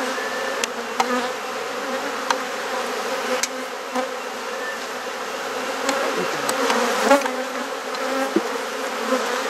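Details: Honey bees buzzing during a hive inspection as frames are swapped in a garden in Perth, Australia; a dense, steady droning hum fills the clip, broken by occasional sharp clicks and knocks from handling the hive.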